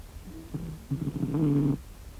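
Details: A sleeping domestic cat snoring: a low, rough rumbling breath with a steady droning tone, a short snore followed by a longer, louder one lasting nearly a second, in a quiet indoor room.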